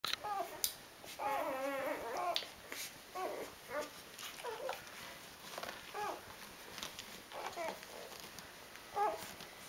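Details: Four-day-old Rhodesian Ridgeback puppies from one litter, squeaking and whining in a series of short, wavering, high squeals, with quiet shuffling and rustling between calls.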